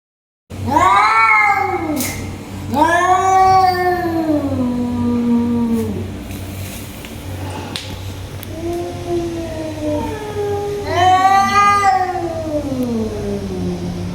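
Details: Tiger cats fighting: long, loud, wavering yowls that rise and then slide down, three main drawn-out wails with rich overtones, over a steady low hum.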